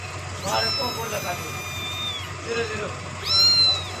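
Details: Milk-drinking kitten gives high, arching meows at the start, middle and end, mixed with soft lapping or murmuring sounds and a low steady hum.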